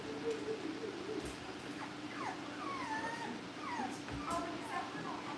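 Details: Cavalier King Charles Spaniel puppies in a home litter, kept for care and socialization before going to their families, give a run of thin, high whines that slide downward, several in quick succession over a steady low household hum.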